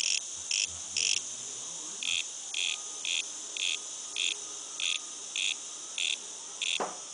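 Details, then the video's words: Cicada outside a house giving short, harsh, high buzzes repeated roughly every half second, about a dozen bursts in a fairly regular series over a continuous faint high hum, with one sharp click near the end. "cicada out side our casa"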